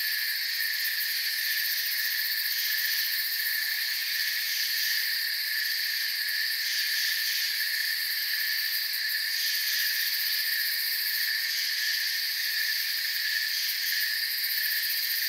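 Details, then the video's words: Steady night-like ambience of crickets chirping in a forest: a thick, high-pitched, continuous drone from many insects, evenly loud throughout, with light flickering ticks in the top layer. "Forest Sounds and Crickets"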